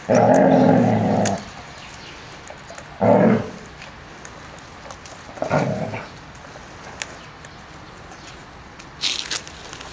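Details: Playful puppies romping in a yard on 30 January 2013 at 14 °C; a long rough growl-bark at the start, then short gruff bursts about every two to three seconds, with scuffling in between.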